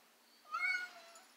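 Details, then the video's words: Male domestic cat unhappy in his stroller utters a short, fairly faint meow rising then falling, about half a second long, in a quiet indoor setting. "Ricardo the Cat Doesn't Like His Stroller"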